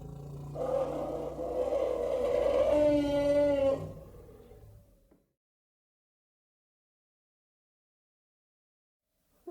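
An African elephant gives a loud, brassy trumpeting call lasting a few seconds, then falls silent.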